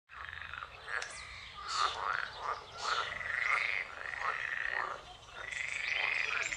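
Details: Edible frog. Edible frogs call together in a dense morning chorus, their harsh, rattling croaks rising and falling in overlapping bursts. The voices merge into a continuous, chattering wall of sound with no pause between callers.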